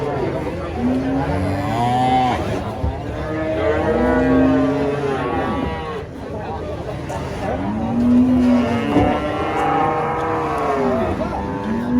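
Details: Enraged giant female cow being loaded beneath a tree. Repeated arching moos, some overlapping, come every one to two seconds over steady background noise and faint voices.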